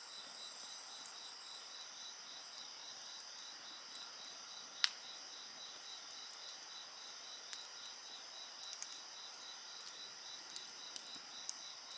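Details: Night insects keep up an unbroken high ringing chorus with a rapid pulsed trill beside a bonfire, while several sharp crackling snaps from the fire punctuate the steady drone.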